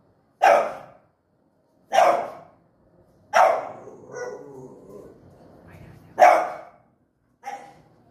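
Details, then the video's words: French Bulldog in front of a mirror, barking at its reflection: five short, sharp barks spaced one to two seconds apart, with a soft low grumble between the third and fourth. "Dog infront of the mirror"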